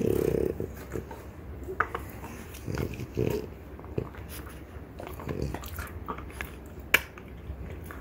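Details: Two female French Bulldogs, mother Ume (3 years 1 month) and daughter Roku (1 year 6 months), gnawing deer antler; sharp scattered crunches and clicks with soft low thumps between bites.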